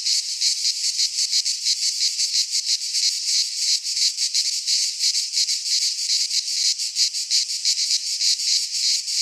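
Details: Midsummer cicadas in Greek pine woodland produce a shrill, saturated buzzing wall of sound, beating in rapid regular pulses about three per second; the drone never stops and no other sounds intrude.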